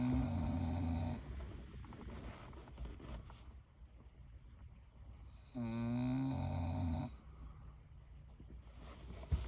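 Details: Senior pit bull, a rescue, sleeping and snoring indoors: loud rasping snores with a low rumbling base and buzzy harmonic upper tones, one at the start and another around six seconds, separated by quieter breathing.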